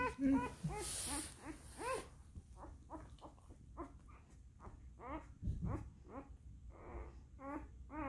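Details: Max, a one-day-old singleton puppy mixing German shepherd and Siberian husky, cries in rapid squeaky whines, each rising then falling, more than a dozen in a row; a brief rustle breaks in early on.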